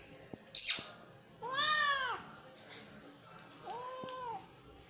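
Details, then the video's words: Kitten giving one clear arched meow followed by a shorter, softer one, after a brief, sharp hissing rustle at the start, with quiet background tapping. "kitten moewing"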